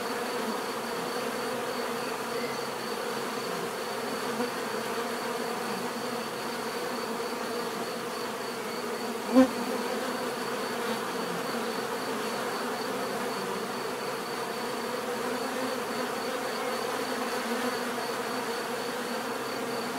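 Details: Natural buzzing of bees, a continuous low droning hum from many insects with a high faint steady tone above, broken only by a single short click midway.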